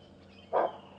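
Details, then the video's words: Nyala giving an alarm bark after spotting a leopard on a sunrise safari drive; a single short, low, hoarse bark, quiet background otherwise. "There was another nyala that saw him. That's the nyala bark."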